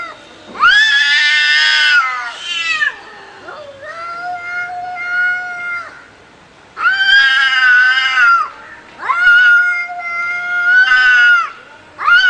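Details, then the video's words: Cats fighting give repeated harsh yowls, each a loud swell lasting a second or two. Steadier moaning howls fill the spaces between the louder outbursts. "Real Cat Fight Watch With Sound"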